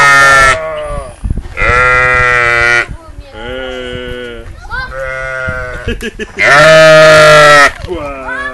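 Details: Very loud sheep at Calistoga Geyser repeatedly bleating, drawn-out nasal, quavering cries of one to two seconds, the loudest near the end, interspersed with shorter bleats and nearby human voices.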